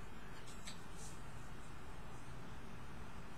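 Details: Dense, even low-frequency rumble throughout, with a few soft muffled bumps and no animal call.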